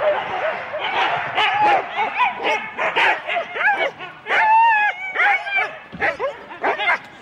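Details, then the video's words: At Rendlesham in January 2016, four-dog Husky teams bark and yelp excitedly before the sled start. Quick choppy barks mix with longer arched howling whines, and the whole pack calls without pause. "4 dog Husky teams - the complete start"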